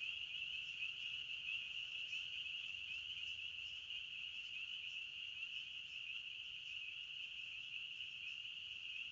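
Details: Crickets chirping in a forest: a dense, unbroken high-pitched trill from many insects, steady in pitch and loudness throughout, with no other animals, voices or music.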